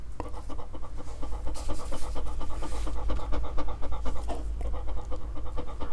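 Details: Dog trying to eat fruit, panting in quick, even breaths about two per second, with a faint low background hum.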